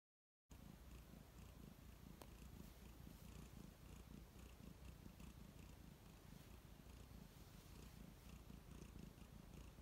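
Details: Domestic cat purring contentedly while relaxing, recorded up close: after a brief silent start, a steady low rumbling purr with rapid even pulses continues throughout, soft and unbroken.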